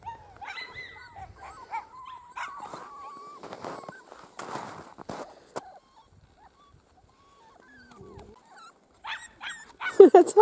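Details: Miniature Schnauzer puppies, playful and energetic, getting short exposure to the outdoors: high thin whines and squeaky yelps scattered through, with quiet rustling and a few louder knocks near the end.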